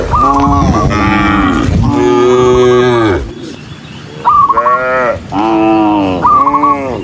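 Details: Large herd of cattle being driven forward by a herder, several cows mooing in overlapping, drawn-out, rich harmonic moos, some bending upward at the start. A brief lull near the middle carries low rumbling before the mooing resumes in quick succession.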